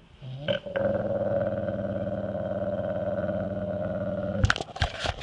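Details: A female yellow Labrador Retriever licking peanut butter from a jar gives a low, rumbling, steady growl when a man gets too close, guarding her food.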